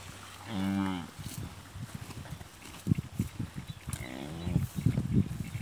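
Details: Cow on a farm, after feeding well on fodder, while her calf suckles milk from her: two short, low, harmonic moos about three seconds apart, with irregular thumping and knocking sounds between them.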